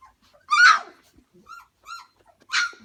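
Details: Pyrenean Mastiff puppy, two and a half weeks old, in a whelping box: one loud high yip, two faint short whimpers, then another sharp yip.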